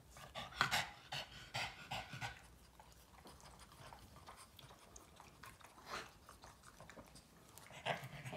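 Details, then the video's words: Boston Terrier named Yoda licking its owner nonstop: quick wet smacking licks and rapid, soft panting breaths in short bursts, with a woman speaking gently in Hungarian before and after. "Boston terrier dog Yoda can't stop licking mom"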